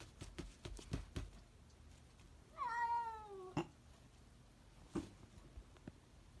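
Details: Single wavering meow from a cat, rising then easing down, preceded by a run of sharp tapping clicks and followed by a few isolated knocks indoors.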